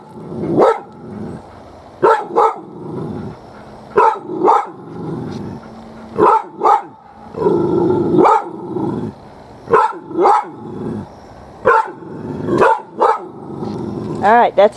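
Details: Shiney, a pet dog, upset and hackles raised, barking behind trees at a cicada shell. Loud, deep barks come in bursts, roughly every one to two seconds, with growly rumbles between them and a whine at the end.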